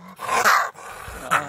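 Gray fox calling with coarse, scratchy vocalizations. A drawn-out rasping growl comes first, then after a short pause a quick, higher yap-like bark.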